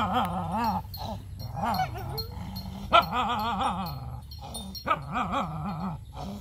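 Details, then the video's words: Puppies at mealtime voice repeated wavy whimpers and growls, each swelling and dipping in pitch, with occasional sharp clicks and chiming noises between them. "Puppies are eating food every day"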